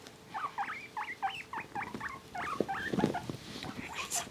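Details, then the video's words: Two male guinea pigs being petted and tickled indoors give a rapid run of short, high, rising squeaky chirps, then scattered squeaks, with people talking softly nearby. "Guinea Pig Noises"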